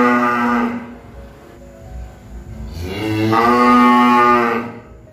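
A cow gives two loud, drawn-out moos, deep and nasal with a rich harmonic tone.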